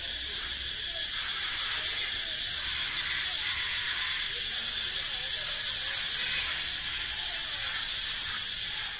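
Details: Male cicada song echoing through a forest, an advertisement of male strength and fitness: an unbroken, dense, high-pitched buzzing hiss with a strong steady tone, holding the same loudness for the full nine seconds.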